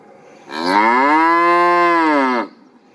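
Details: A single long cow moo of about two seconds, rich in harmonics, rising at the onset, holding a steady tone, then falling off sharply, with a quiet background.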